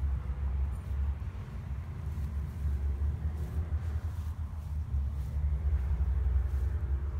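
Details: Steady low engine rumble of passing vehicles outdoors, without any animal call.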